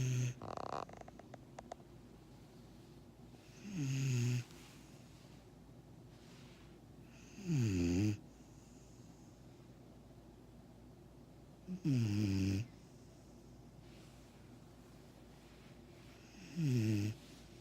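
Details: A sleeping six-month-old Vizsla puppy snores in slow, rasping breaths that come about every four seconds.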